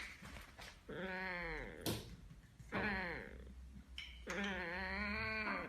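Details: Balam the cat indoors reacting to a funny noise with three drawn-out, wavering meow-like calls, each rising then falling, separated by short pauses and a few soft thumps.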